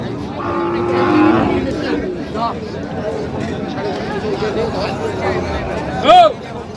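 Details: Cattle at a cattle market in Bangladesh, Ambari haat, on 5 January: a long low moo early on, over busy crowd chatter and men bargaining over prices, with a brief higher call near the end.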